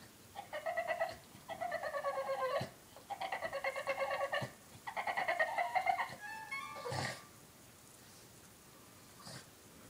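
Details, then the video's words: A 3-year-old male Boston Terrier cries in bursts of pulsing, nasal whines, ending with a few rising squeaky notes, upset because his 1-year-old Boston Terrier sister took his bone. "Boston Terrier crying"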